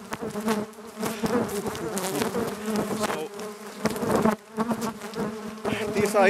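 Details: A very active colony of Italian honey bees in Nuuksio National Park, Finland, drones loudly and steadily in attack mode, defending the hive after being moved from a wooden to a polystyrene hive.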